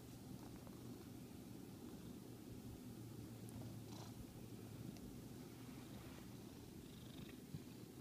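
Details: An 11-year-old pet cat at play, purring steadily as a low, continuous rumble throughout, with a few faint soft clicks and rustles in a quiet room.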